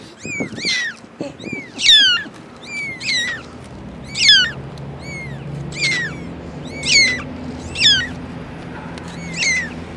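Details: Four kittens with their mother cat, calling in high, piercing mews that curve and fall in pitch, coming in uneven bursts about once a second over a faint low background hum.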